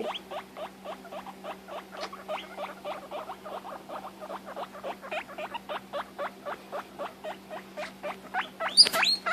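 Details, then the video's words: Domestic guinea pig calling when she can't find her sister; fast regular train of short upswept squeaks, nearly four per second, ending in a loud shrill squeal over a low steady hum. "Guinea pigs making noises"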